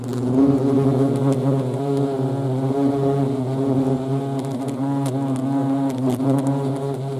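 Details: Buzzing of European hornets (Vespa crabro) in action: a continuous deep hum rich in overtones, pitch wobbling gently as the insects move, with faint clicks above.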